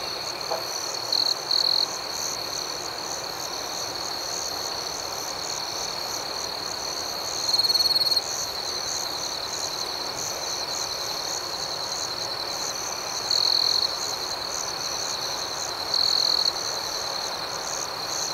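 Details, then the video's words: At night, a chorus of crickets holds a constant high, thin trill with quick rhythmic pulses above it, and short louder chirp phrases rise out of it four times. "Soothing Cricket Sounds"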